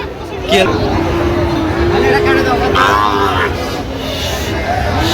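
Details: Sahiwal bull calves at the Raniganj cattle market on 24 September 2025. A drawn-out, low moo runs for about three seconds under loud crowd chatter and bargaining voices.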